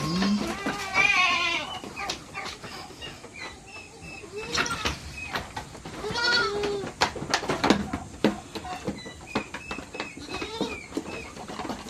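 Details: Herd of goats in the Philippines in summertime, in the morning before release, giving scattered nasal bleats: one strong quavering call early, then softer, shorter bleats among clatter and background music.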